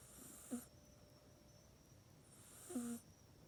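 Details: Sleeping house cat Mac in its bed at night, iPhone 8 recording; two breathy snores about two seconds apart, the second longer and steadier, with faint hum of a quiet indoor room.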